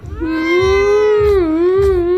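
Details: Angry domestic cat, upset at having its claws cut, lets out a sustained, low, moaning yowl that dips and rises again, with soft thumping noises underneath and a woman speaking before and after.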